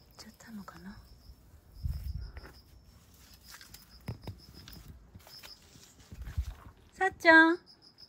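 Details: Sacchan, a male rescued cat born around spring 2019, lounging near home in Shiga Prefecture, Japan, and coming straight back when called, gives one short, loud, harmonic meow at the end. Human voices come earlier, with crickets pulsing steadily behind.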